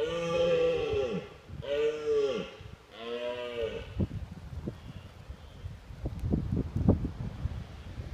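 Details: Red deer stag at Woburn Abbey in autumn, watched from a car, roaring to warn rival stags away from his hinds: three drawn-out, deep, harmonic roars of about a second each, dipping at their ends, then people talking nearby.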